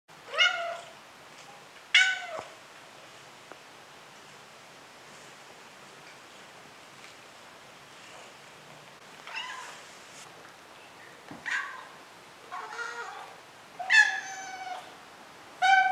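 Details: A Maine Coon cat gives a series of short, bright meows with rich harmonics, some thinner and higher like a kitten's, as the same cat is heard meowing as a kitten and as an adult.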